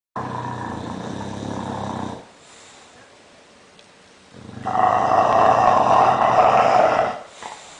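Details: A sleeping bulldog snoring loudly, each long harsh rasping snore lasting about two to three seconds, separated by a quieter, softer breath.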